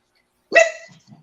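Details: Domestic dog indoors barking at cats that want to go out: one sharp, short bark with a bright harmonic stack, followed by a couple of faint low grunts, otherwise quiet.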